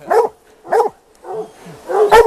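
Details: Plott hounds baying on a mountain lion hunt after a big tom lion track was found while coyote hunting; short loud barks in spaced bursts, about four in a couple of seconds.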